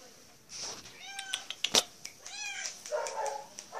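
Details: Maine Coon cat Daisy, available for adoption at a shelter, gives two short, slightly trilled meows on 15 April 2014, mid-afternoon, with a sharp click and faint voices between.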